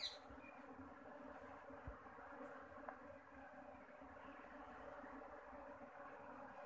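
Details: Honeybees at a bee farm settling into a new hive home, giving a steady, dense buzzing hum that runs unbroken and even through the whole clip, soft and low in level.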